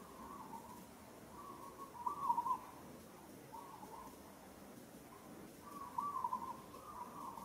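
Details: Monkey in Kampong Cham Province, Cambodia, calls as another monkey grips it roughly: a string of high, tonal, wavering wails, some long and some short, with the loudest bursts near the middle and the end.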